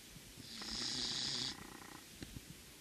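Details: Sleeping Corgi named Azuki gives one snoring breath lasting about a second, a raspy low buzz topped by a strong airy hiss, followed by quiet breathing and faint ticks.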